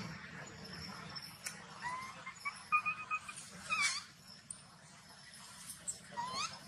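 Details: Baby macaque, angry after its mother refused it milk, giving scattered high, thin rising and falling squeals, loudest in the middle, over a low steady background hum.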